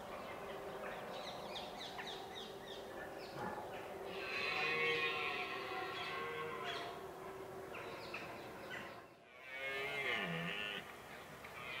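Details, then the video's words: Red deer during the rut in Richmond Park on 5 October 2014, at sunrise, recorded with a Nikon D7100: drawn-out, groaning harmonic bellows swell twice, with sharp bird chirps and steady background hum throughout. "Red Deer Rut"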